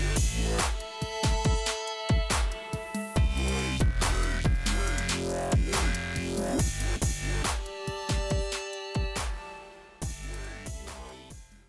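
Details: Electronic dance music with heavy pounding bass, drum hits and synth tones throughout; no animal voice can be picked out.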